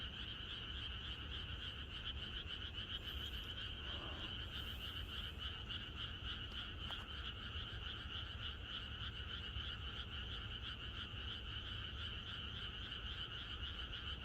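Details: Chorus of frogs on a rural night before rain, a continuous wall of fast, irregular pulsed calls at two pitches, briefly joined by a few faint higher sounds and a short click near the middle.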